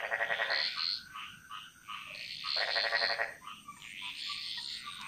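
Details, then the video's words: Frogs chorusing in a jungle in Bali. Harsh, buzzy pulsed croaks swell in two strong bursts, with softer overlapping calls from other frogs between them. "Frog Mantras - Relaxing Sounds Of Bali"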